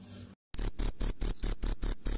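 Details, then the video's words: Male cricket (jhingur) calling at night by rapidly rubbing its wings to attract females: after a brief quiet start, piercing high-pitched pulses begin, evenly spaced about four per second, steady and loud throughout. "Crickets Sound Natural Sound ( Jhingur)"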